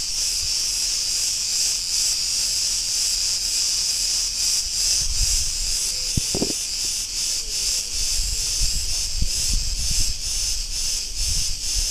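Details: Steady throbbing buzz of Cretan cicadas in an Ierapetra street, Crete, Greece, beating in even pulses, with a short clatter and faint thuds from the street in the background.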